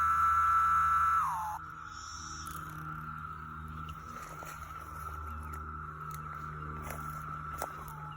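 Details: Thousands of cicadas, likely over 10,000, emerging for the first time in 17 years on rural land near Stephens City, Virginia, in May 2021, calling close by and far off: a loud near whine falls away after a second, leaving a steady droning chorus with faint clicks.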